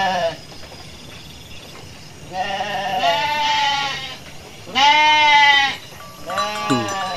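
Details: A Garut sheep ewe that gave birth while foraging gives several wavering, nasal bleats with rich harmonics, each lasting about a second.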